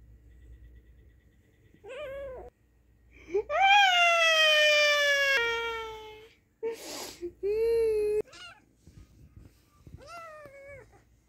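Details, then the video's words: An angry kitten and cat sounding off indoors: a short wavering cry, then a long harmonic yowl that slides downward, a clipped yowl, and a final short wail, with a quiet voice afterwards. "So Angry Cat/Cute Angry Kitten"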